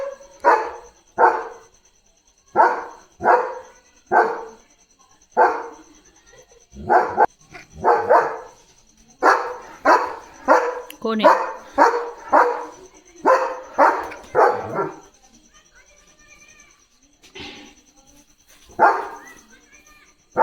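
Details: Pet German Shepherd Leo barking on night duty at something outside: a long run of loud barks, first evenly spaced about a second apart, then bunched into rapid volleys, fading to a few scattered barks near the end.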